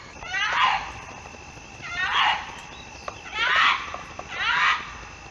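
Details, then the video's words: Fox in the mating season calling to others: four loud, rasping barks about a second apart, each a brief strained cry that starts high and drops, over a quiet background. "Fox calls and Barking | Fox Sounds | Fox Mating sounds"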